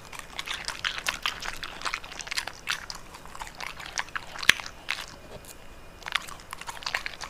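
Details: Indoor ASMR close-up of a dog munching bitter melon: steady crisp crunches and chomps in quick succession, one loud sharp crack midway, and a brief lull before a final flurry of bites.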